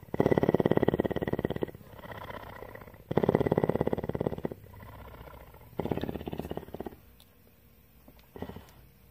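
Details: Tawney, a captive female cougar at CARE in Bridgeport, Texas, purring in rough pulsed bursts of about one and a half seconds, each inhale and exhale phase separated by quieter low rumbling gaps.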